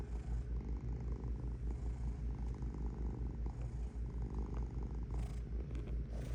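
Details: A pet cat purrs in a deep, even, throbbing drone, rhythmic and unbroken for the whole stretch, with soft rustling noises over it.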